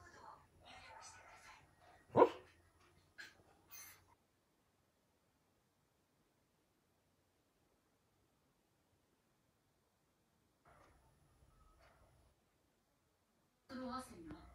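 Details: A female Lhasa Apso gives soft, muffled barks while asleep, with one sharper woof standing out.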